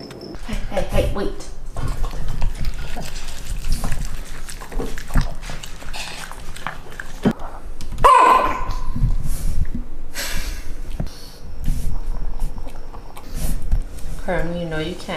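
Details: A pet dog, called nasty and crying by its owner, gives a short bark and then wavering, up-and-down whines near the end, while a person keeps talking to it throughout.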